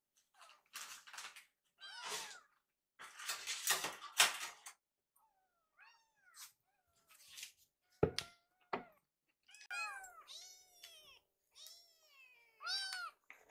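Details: Rescued kittens wait hungrily in a kitchen for their meal, a run of high, rising and falling meows from several kittens mixed with clatter, rustling and a sharp knock.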